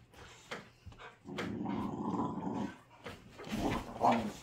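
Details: American Pit Bull Terrier puppy, still with baby teeth, play-wrestling with a patient rescue pit bull; a low rumbling growl holds steady for over a second, framed by short scuffling knocks and a brief voice.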